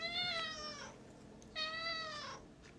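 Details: Two loud, long meows from a house cat, each held steady before curling downward at the end, separated by a short pause indoors.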